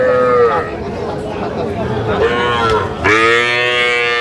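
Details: Bull and heifer calves sold to Dhaka farmers at a Bangladesh cattle market on 3 August 2025. Short bursts of men's speech lead into a sudden, loud, full-throated moo that is held steady to the end.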